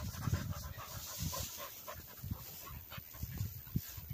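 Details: Cocker spaniels retrieving along a river bank in gundog-style play: quick breathy pants in short bursts roughly every half second to second, soft and low, with faint outdoor ambience.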